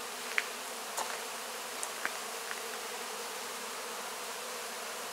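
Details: Honey bees cleaning wax cappings after the 2024 honey harvest; a steady, even buzz of many bees with several short sharp clicks or ticks scattered over the first half.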